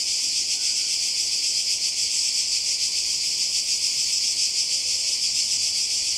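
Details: Cicadas by the sea in Croatia, summer 2020: a dense, steady high-pitched buzzing drone with a fast, even pulsing throughout and no pauses.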